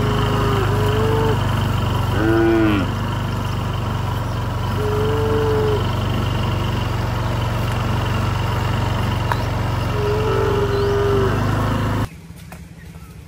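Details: A group of tame cows hurrying to the barn in the rain. Several moos come at intervals: short rising calls, one louder harmonic bellow near the start, and a longer call later, all over a constant low engine-like hum.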